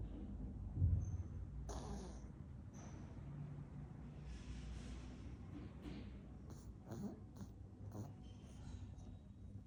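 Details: Frankee, a pet dog, asleep and snoring: low, rumbling breaths with soft snorts, plus a brief hiss near two seconds and a few faint higher clicks later on.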